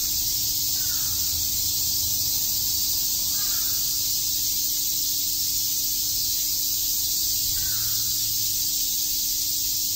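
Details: Cicadas chirping on a summer day in Shakujii Park, Tokyo: a dense, unbroken high hiss-like chorus fills the whole stretch, with a few faint short calls from another bird, likely crows, at about 1, 3.5 and 8 seconds.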